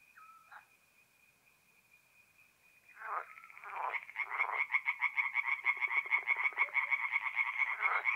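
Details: Tree frogs at a forest pond in north-east Italy, mid-April night: a faint steady tone and a few scattered calls, then a loud chorus of rapid pulsed croaks bursts in and continues.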